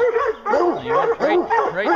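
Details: Hounds on a bear hunt give arched, overlapping bays, several dogs calling at once in quick succession over a short stretch.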